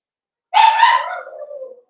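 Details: A blenheim Cavalier King Charles Spaniel puppy from a New Year's litter of five, in an indoor home puppy pen, gives one loud, bright yelp that trails off into a thin, falling whine of about a second.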